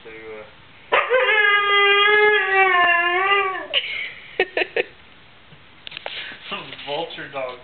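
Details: Female pet dog vocalizing to get attention; she tells her owners when she is bored, hungry or thirsty. A long, steady, nasal whining howl lasts about three seconds, then short yips and human speech follow.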